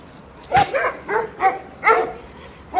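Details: Jack Russell terrier at a vehicle inspection station in Samandıra provoking the dogs kept there: five sharp, ringing barks in about three seconds, irregularly spaced, with a man's voice urging it on nearby.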